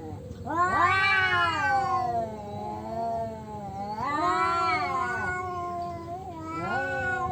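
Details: Tomcats quarrelling for control of their territory: drawn-out, wavering yowls, three rising-and-falling wails separated by brief dips, with a low background drone.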